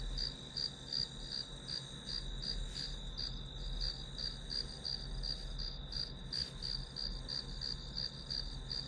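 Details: Grass insect calls as white noise while studying: bright high chirps pulsing about three per second above a constant trill and low hum, broken by a couple of short clicks.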